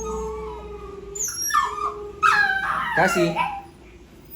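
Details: An agitated pet poodle begs while someone eats, giving a steady low whimper, then bursts of high, wavering howl-like whines and squeaky yips that rise and fall before fading, with faint speech nearby.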